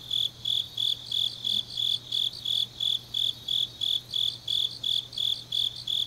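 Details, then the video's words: Grass insects singing on a deep autumn night in Changnyeong, South Gyeongnam, Korea: high, bright chirps in even pulses about three per second over a steady faint trill, with a low constant hum beneath. "깊은밤 가을 풀벌레 소리"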